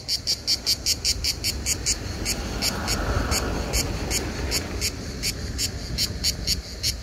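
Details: Hellenic cicada singing in summer on Skiathos, Greece, where these insects sing almost all day; rapid pulsed buzzing bursts, roughly two or three per second, fade into a steadier drone midway before the pulses return.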